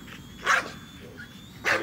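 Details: An American Bully named Nola, a female, chasing a drone, gives two short barks about a second apart over a steady high-pitched drone whine.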